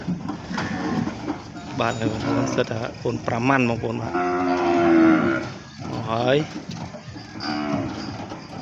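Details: Twelve newly arrived cows on a farm low with deep, drawn-out moos around a 5-second mark and again near 6 seconds, mixed with a man talking excitedly over most of the recording.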